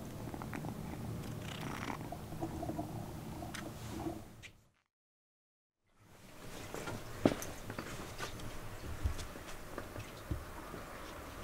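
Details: Purring cat in a cat room where a rescued kitten and its bed from the kitten room drew the attention of resident cats; low continuous purr, broken by a one-second silent gap midway, with occasional taps and small knocks nearby.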